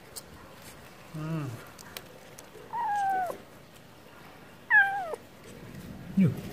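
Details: Stray cat offered wet food, meowing because it wants food: three separate meows, the first low and short, then two higher drawn-out cries sliding downward, with quiet gaps between them.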